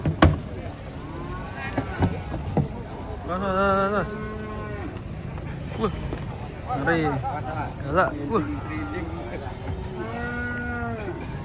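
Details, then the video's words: Cattle coming down off a truck: a series of separate moos, some short and some long and wavering, spaced a few seconds apart, with thumps and faint voices around them. "BUANYAK SAPI LUCU NGAMUK KETANGKEP TURUN DARI TRUK"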